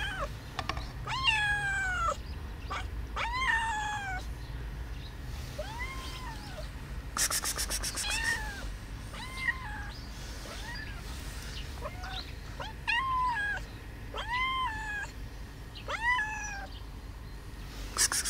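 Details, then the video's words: Domestic cat meowing repeatedly while another cat hisses at it; arched, harmonic meows falling at the end come in quick bursts, with a broad hiss around the middle and a quiet indoor background. "why do cats meowing and hisses"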